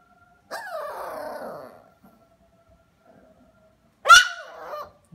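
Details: Small Havanese dog giving a drawn-out descending whine, then after a pause a sharp, loud yelp that bends down into a short wavering cry; otherwise quiet indoors.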